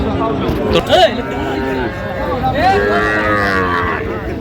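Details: Sahiwal breed bull at a crowded cattle market in Sylhet, 10 January: a steady, level lowing holds for over a second late in the stretch, set among overlapping men's voices and market chatter.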